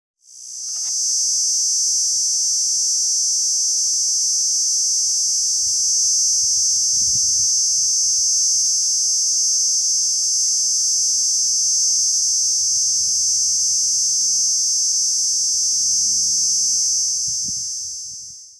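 A Kaempfer cicada gives a steady, high, hissing buzz that runs on without a break.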